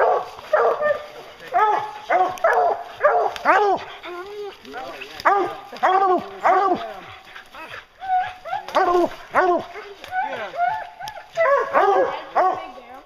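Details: Hounds bear hunting, giving a steady chorus of loud, arching bays and barks that overlap and repeat irregularly, several voices at once with little pause between outbursts.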